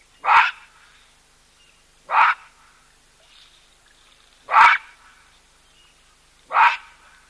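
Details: Loud baboon calls where a wary cheetah drinks alongside an elephant: four sharp, explosive barks spaced roughly two seconds apart, each short and harsh, with near silence between them.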